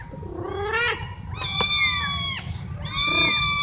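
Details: Domestic cats, one of four, meowing loudly to ask for something such as food or attention: three long harmonic meows, the middle one drawn out and falling, over a constant high-pitched hum.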